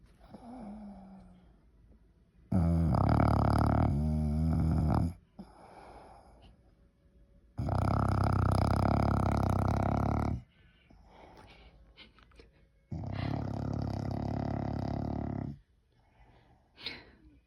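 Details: Snores from an English Bulldog: three long, harsh, low rasping bursts of nearly three seconds each, with faint wheezy breathing in the gaps and a short snort at the end.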